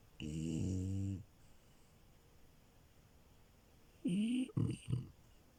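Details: Milo, a French Bulldog puppy, snoring while asleep: one long droning rasp, then after a pause a rising snort followed by two short choppy snuffles.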